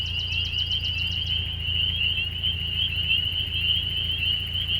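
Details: Frogs calling in spring: a steady, continuous high trill runs unbroken through the whole recording. A rapid pulsed series sounds higher still during the first second or so, then stops.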